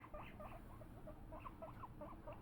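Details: Pet guinea pigs, Luna and her sons, about to be given celery, give a rapid run of short rising squeaks, roughly eight in two seconds, clear against a quiet room.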